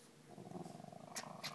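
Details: Female Cairn Terrier growling at her owner as the owner leaves, baring her teeth in what the owner calls affection, though she has never bitten: a low, pulsing, throaty rumble.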